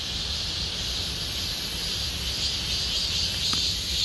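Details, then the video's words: A dense, continuous cicada chorus in Gomsol Nuri Forest, Sihwa district, in deepening summer fills the air with a steady high-pitched hiss and buzz. "곰솔누리숲의 매미소리 Cicada sound of Gomsol Nuri Forest"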